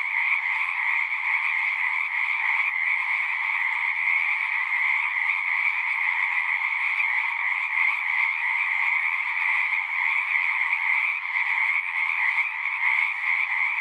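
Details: Many frogs singing at a horse-pasture pond, recorded on a Zoom 6, producing a dense, even chorus of fast trills that blend into one sustained high hum without breaks.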